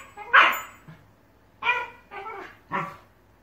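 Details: Two Shiba Inu puppies indoors argue vocally over who gets a ball. Four short, harsh, grumbling bark-like bursts come in quick succession, the first loudest, each with a rough, noisy tone and little gap between them.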